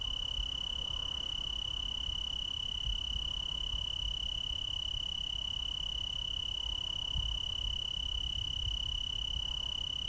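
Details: Tree crickets in chorus in the Willamette Valley, Oregon: a steady, unbroken high trill holding one pitch throughout, with faint overtones above and a low rumble of background noise underneath.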